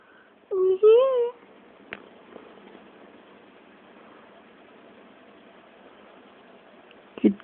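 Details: A kitten named Serra, recorded on an Android phone, gives one drawn-out, wavering meow that rises and then dips. It is followed by faint clicks and household quiet, with a person calling to her nearby.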